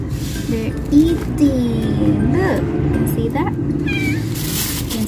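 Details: Siamese cat meowing: several short, bending meows come in quick succession over loud background music, with a person talking nearby.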